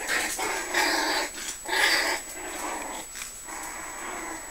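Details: Five-week-old Puggle puppies whimpering and whining in short overlapping bursts, with soft yips rising and falling over a few seconds.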